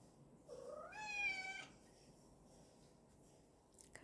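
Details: Pet cat yelling at its owner for lagging behind, a single drawn-out meow rising in pitch and holding steady for over a second, bright harmonic tone, then quiet room with a faint click at the end.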